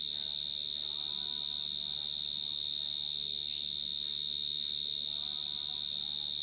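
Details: [['Short-tailed cricket (jangkrik gangsir) chirping very loudly, a constant shrill high trill with a faint upper overtone, steady and unbroken, with only faint low background sounds.']]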